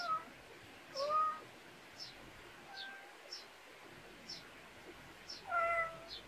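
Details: Backyard cat in rural Korea, resting outdoors; two soft, brief meows, the second slightly rising and falling, with even high-pitched chirps ticking along in the background.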